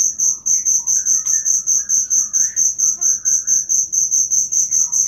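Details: Real cricket chirping, recorded as material for training cage songbirds: a sharp, very high pulsed call repeated evenly about four times per second throughout. Soft, faint whistles wander at a lower pitch in the background.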